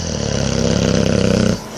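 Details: Boxer dog named JJ snoring loudly while wide awake and looking around; a rapid, rattling low snore pulsing about four times a second, stopping abruptly after a second and a half.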